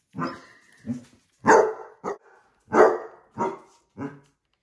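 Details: Basset Hounds Musta and Ari at home with heart balloons, which they dislike; a run of about six loud, hoarse barks and bays, each harmonically rich and spaced roughly half a second to a second apart, with brief fading tails.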